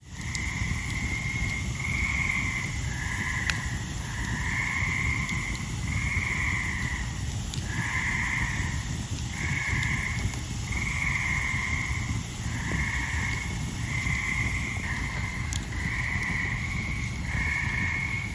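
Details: On a summer evening in the forest around Ricketts Glen, loud tree frogs call all around, giving steady, nasal, bleating calls about a second long, over a crackling campfire.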